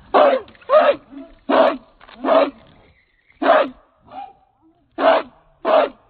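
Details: Chained American Pit Bull Terrier, a 66-pound dog from Redboy Jocko lines, barks loudly and steadily: seven harsh, punchy barks in about six seconds, some in quick pairs, with faint soft grunts between.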